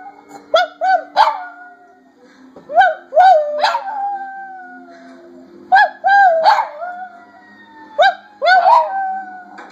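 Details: Abby, a Silky Terrier, whining and howling in conversation with her owner: short rising yelps followed by drawn-out falling howls, in four groups spaced a couple of seconds apart, indoors with a faint hum.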